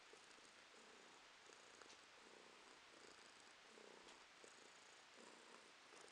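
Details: Domestic cat purring indoors, a steady soft rumble with pulsing bands that swell and fade with each breath, broad hiss throughout.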